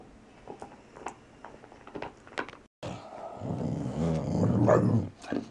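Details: Valley Bulldog, male, just over three years old, growling while playing indoors. After quiet rustling and small knocks, a rough, low, sustained growl rumbles for about two seconds and then fades.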